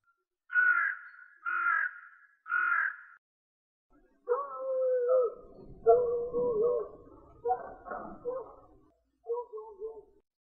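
Three harsh, raspy barks come about a second apart from a fox. Then come longer, lower wailing screams that rise and fall, each cut off before the next.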